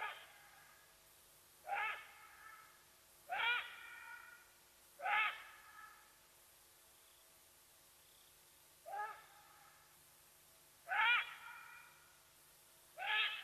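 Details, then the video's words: Alarm calls of a side-striped jackal revealing Watika the leopardess at Nkorho, Sabi Sands, South Africa: rich harmonic yelps, each with a rising lower note, repeated at uneven intervals of roughly two seconds, seven calls, faint background hum. "Side Striped Jackal, giving away Watika the Leopardess's presence at Nkorho"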